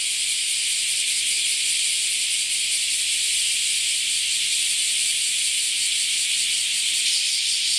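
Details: Many cicadas calling together in a continuous shower of sound, a thick high-pitched sizzling drone that stays level and unbroken from start to finish, with no other clear sounds.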